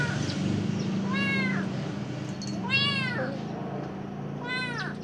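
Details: Golden-eyed Khao Manee cat gazing outdoors, meowing three times with clear bright harmonic arcs, the middle call strongest, against a low steady indoor hum.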